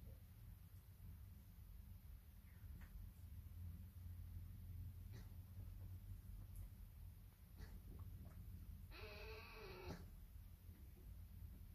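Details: An orphaned female roe deer fawn, settling to sleep in fresh hay in her rest box on a summer evening, gives one brief, high, nasal, slightly wavering bleat near the end over a constant low rumble and faint clicks.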